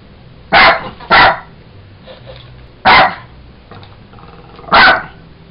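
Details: Jack Russell Terrier named Sugar playing with a toy monkey, giving four sharp, high barks: two in quick succession, then two more spaced over several seconds, with quiet room sound between.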